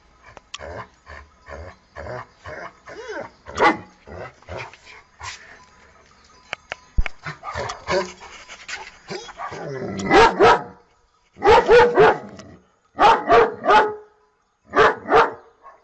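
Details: Dog panting and making soft sounds, then sharp barks in quick bursts of two or three during the second half, with faint background noise.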